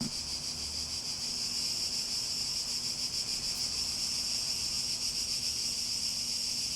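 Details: Cicadas in a nature setting, a dense, steady, shrill buzzing drone held without pause, with a faintly pulsing texture and a weak low hum underneath.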